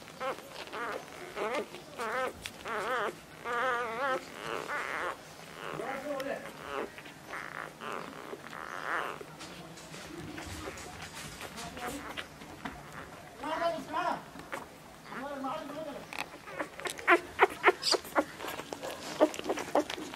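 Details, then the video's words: Labrador Retriever puppies fighting for milk while nursing: a stream of high, wavering whimpers and squeals, some trembling in pitch, with busy shuffling and sucking noises that grow sharper and clickier toward the end. "Labrador puppies fighting for milk"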